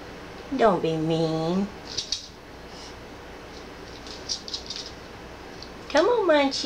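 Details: Indoors, a calm female rescue cat meows in the background of a household with a dog and another cat. A long wavering meow opens, then light tapping and clatter, and a second rising meow closes.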